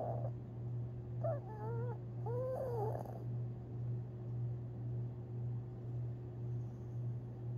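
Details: Long Haired Chihuahua Tinkerbell, dreaming in her sleep on April 17, 2021, makes a brief cluster of wobbly high whines and a faint snuffle, then settles into steady low humming background.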